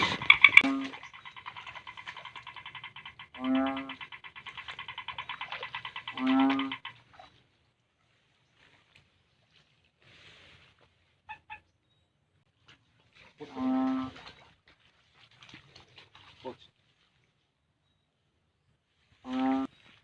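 A Philippine banded bullfrog gives deep, cow-like lowing calls spaced several seconds apart.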